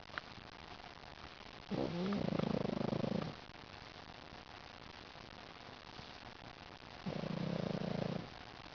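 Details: Lil Mac the pug, asleep and smiling, gives two rough, raspy snoring breaths about five seconds apart, noisy and rattling with quiet breathing between.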